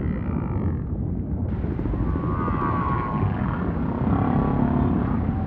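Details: Humpback whale singing faintly in ocean ambience, with soft drawn-out wavering tones that slide slowly in pitch, nearly buried under a steady low underwater roar.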